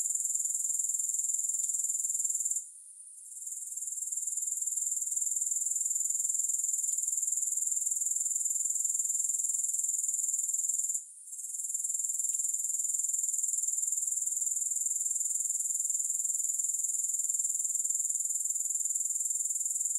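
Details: Continuous high, sizzling grasshopper trill, evenly pulsed about four times a second, with two brief gaps and faint soft clicks underneath; no music.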